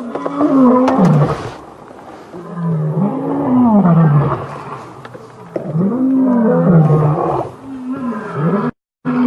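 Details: Lion roaring during a male coalition's challenge to rivals and the start of a takeover, 5 August 2015: a series of deep grunting roars, each falling then rising, repeated every two to three seconds.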